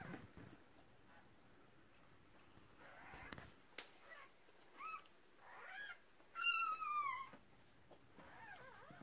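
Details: At the 2018 birth of six puppies, the first litter of a red merle Cardigan Welsh Corgi, faint wavering whines build to one loud, sharp descending squeal, then softer whimpers, with rustling in the background.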